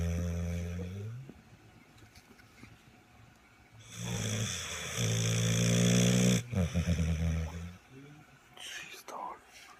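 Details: Sleeping pit bull Marlo gives loud snores like an old man, low droning harmonic rumbles near the start and swelling again in the middle, with voices heard in the room.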